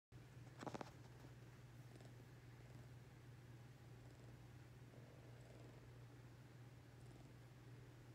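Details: Ring-tailed lemur being petted and grooming a person, giving a steady low continuous purr throughout, with a brief rustling burst near the start and faint handling noises.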